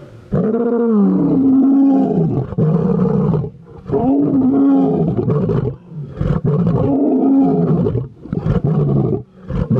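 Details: A captive lion roars in deep, resonant moaning bursts, each lasting a few seconds with brief pauses between.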